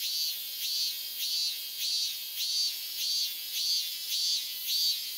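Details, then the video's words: Cicadas in a continuous summer chorus in Japan, known as semi-shigure, likened to steady rain: a dense, shrill, high buzzing that swells in regular pulses about every half second, with no other sounds. "Japanese sound "semi-shigure""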